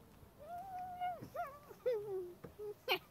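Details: Miniature Poodle puppy kept with a horse it loves, giving a long, steady, high whine held for nearly a second, then a string of shorter whimpers that bend and slide downward, ending in a brief sharp squeak.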